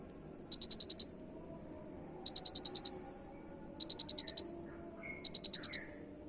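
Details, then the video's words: Masteran cricket sound: four piercing chirps, each a rapid string of six or seven high pulses, with longer pauses between them and a faint short whistle near the end. "suara Jangkrik Unik"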